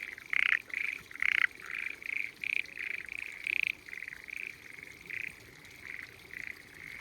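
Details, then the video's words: Hidden frogs singing in spring rice fields along a small mountainside in Japan; bursts of raspy, trilled croaks follow each other rapidly, several overlapping voices forming a dense, lively chorus. "Spring Frogs Singing in Peaceful Rice Fields"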